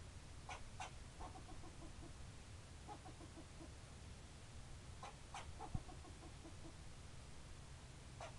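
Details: A squirrel gives several sharp chips, each followed by a fading run of quick, soft harmonic notes, with bouts near the start, middle and end, one low thump, and constant low background noise.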